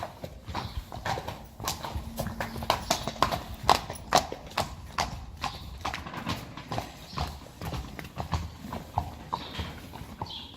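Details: Friesian horses of a herd being led outside, moving fast and eating on the way: rapid, irregular clip-clop hoof strikes, sharp knocks about two per second, with faint rustling and background murmur.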